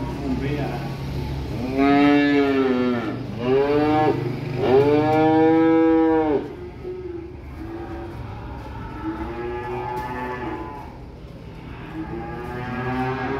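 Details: Young calves arriving by truck, mooing repeatedly: several long, loud harmonic bellows, each rising then falling, in the first six seconds, followed by softer, shorter moos over a low engine hum.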